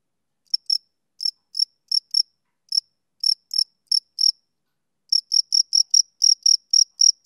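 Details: Male cricket on a summer evening giving short, high, pure chirps in uneven bursts, some grouped in pairs, with a brief pause before a faster run of pulses; no other sounds.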